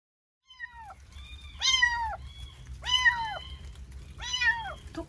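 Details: Young male kitten trapped inside the wall of a neighbouring empty house due for demolition, crying in the morning: three drawn-out meows, each rising then sliding down, spaced over a second apart, against a low rumble.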